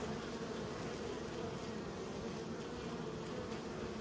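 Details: Honey bees being raised, their continuous buzzing forming an even, low, layered drone without pauses or rises, a constant swarm-like hum throughout.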